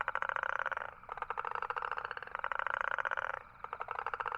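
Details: A toad gives buzzy pulsed trills, three bursts of roughly a second each with short gaps between, with a clean, quiet background.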